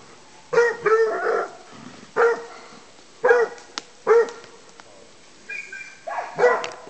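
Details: Petit bleu de Gascogne on wild boar in an enclosure, baying as it hunts; several resonant bays open the clip, then a brief higher whine, then one last bay.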